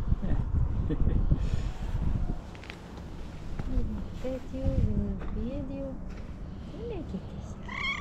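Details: A female tuxedo cat in a hospital garden in the morning gives a run of short, arching meows ending in a higher-pitched one as a person talks, greeting them and wanting to sit on their lap.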